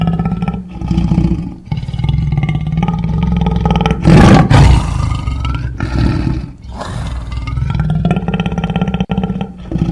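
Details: Lion growling and roaring in a low, rumbling stream, with one sudden harsh, loud burst near the middle before steadier growls resume.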